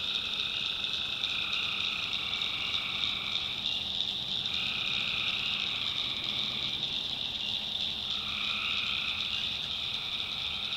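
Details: Tree frogs calling at night in a swamp in the backwoods of North Carolina: a dense, unbroken chorus of high trilling calls, with a lower voiced band that drops out and returns every few seconds.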